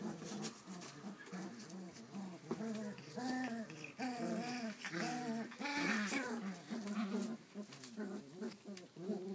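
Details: Collie puppy, 34 days old, filmed 29 July 2012, giving a run of short whining and whimpering yelps with wavering pitch, repeated irregularly, indoors in a small room.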